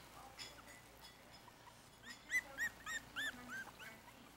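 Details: Yorkshire Terrier puppies, four weeks old, eating from a dish of puppy milk and ground puppy food. After a quiet start, five short, high, squeaky yelps follow each other about every third of a second.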